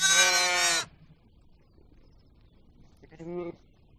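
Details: Sheep bleating: one loud, strongly harmonic bleat lasting under a second, then near silence before a much fainter, shorter bleat about three seconds later.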